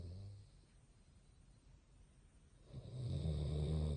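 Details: Basset hound asleep, quiet breathing giving way to a deep, vibrating snore that builds and holds for the last second or so.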